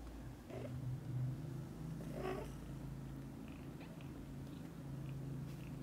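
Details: Domestic kittens asking their mother cat to play outside as soon as they wake up; one short high mew with a steady low purr-like rumble beneath, then faint soft sounds.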